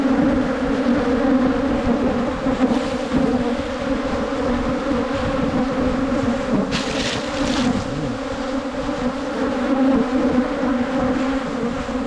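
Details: Swarming Asian honey bees on a 2022 wild honey hunt, producing a constant low droning buzz with rich overtones, interrupted once midway by a short hissing rush of noise.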